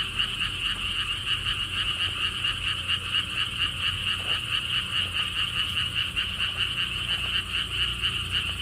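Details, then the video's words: Frog chorus at the Siheung lotus theme park in Korea, near the Gwangokji pond. Quick trains of pulsed croaks repeat in a continuous shimmering band, with only light low rumble underneath. "돌담길, 바람, 개구리 소리를 품은 연꽃 테마파크.Stone wall path, wind sounds, and frog sounds with Lotus theme Park."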